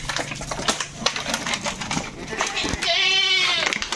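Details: While goats are loaded for delivery, clattering and scraping fill the first seconds. A loud, high, quavering bleat then rises and fades.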